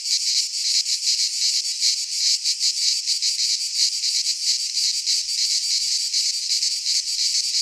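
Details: Midsummer cicada chorus from a pine forest in Greece, a continuous high, hissing buzz with quick rhythmic throbs, steady and loud throughout, with only a faint low rumble near the end.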